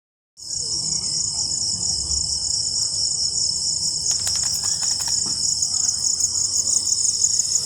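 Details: Crickets calling after rainfall: a steady, high, shrill trill of rapid pulses runs through the whole recording, with faint low rumble beneath and brief clicks in the middle.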